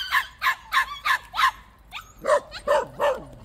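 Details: Five crisp, evenly spaced high barks from a white puppy at a plum orchard, then a brief whimper and three lower, rougher barks.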